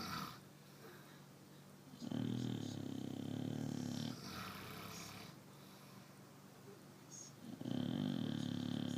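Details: A pet Chow Chow asleep indoors gives loud, low, rumbling snores about two seconds long, with quieter breathing in the gaps between them.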